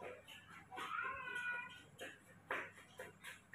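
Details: Baby monkey Mobi, kept and cared for at home, asking for milk after waking up in the morning: a drawn-out, whining tonal squeal lasting about a second, then several short scratchy bursts, indoors in a small room.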